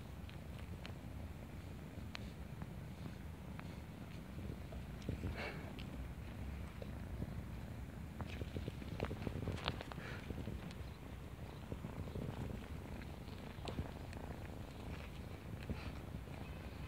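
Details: A homeless female kitten playing with a person in a neighborhood purrs in a continuous deep, throbbing drone, overlaid by intermittent rustling and sharp small taps from movement and handling.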